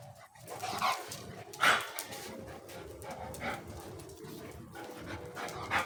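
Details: Golden Retriever puppies in Dubai: a few short, sharp yips and barks, the loudest near the two-second mark, over steady indoor background noise with faint rustling.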